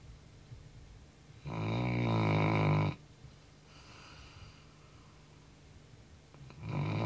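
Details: Tired pet Labrador Retriever sleeping at night after running a lot; a loud, coarse snore of about a second and a half, a faint softer breath after, then another snore beginning at the close.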